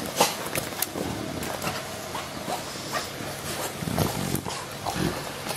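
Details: English Bulldogs WanWan and Fe, just over two years old, filmed 31 January 2017 while idle and bored, give low rumbling grunts and quick nasal snorts, a couple of deeper grunts near the end, over steady room hiss.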